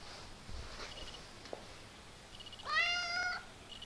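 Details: A kitten making funny, weird noises: one clear, high, tonal meow lasting under a second, steady then slightly falling, preceded by faint soft squeaks and a light click over low background hiss.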